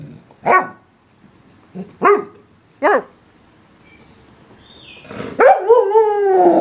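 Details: English Springer Spaniel barking three times about a second apart, each bark short and sharp, followed after a pause by a louder bark drawn out into a long, falling whine.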